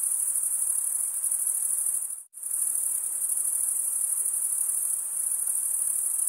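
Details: Male crickets chirping through stridulation give a steady, high, ringing trill. It cuts out abruptly for a split second just past two seconds, then resumes unchanged.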